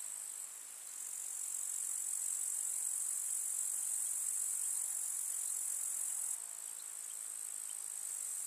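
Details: Summer-meadow grasshoppers chirping in the countryside among wildflowers, a continuous hissing, very high trill that swells after the first second and then abruptly softens near the six-second mark, otherwise unchanging.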